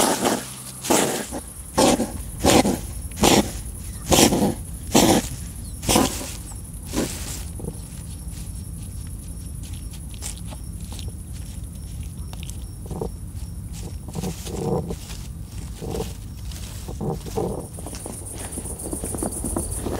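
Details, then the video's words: European hedgehogs that live and breed in a woodpile in a garden, fighting and courting during mating season: a run of loud, harsh huffing snorts about every half second for seven seconds, then quieter scattered snuffles, with a faint insect trill behind. "Fighting and courtship of hedgehogs"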